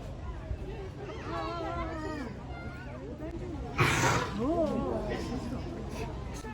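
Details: Asian elephant Arun at Ueno Zoo's Elephant Forest, 11 May 2022, full-bellied and sleepy, lets out a sudden big sneeze: one sharp, explosive broadband burst midway, surrounded by steady chatter of zoo visitors.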